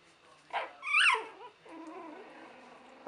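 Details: Three-week-old puppies from Buttercup's 2015 litter, eager to run toward a person; a short high whimper with rising and falling squeals near the middle, then softer murmuring and low whining.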